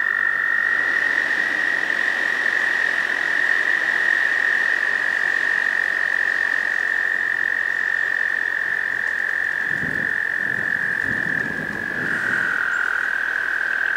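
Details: Male American toads at a breeding pond in spring, trilling to attract a female; long high musical trills, a second slightly lower trill taking over near the end, with brief low thumps in the background.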